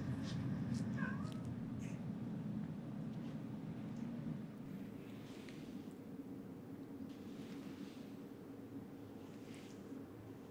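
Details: Domestic cats, happy and at rest, purring while being brushed: a steady low rumbling purr runs unbroken through the whole stretch, with a faint brief higher sound near the start and soft background hiss.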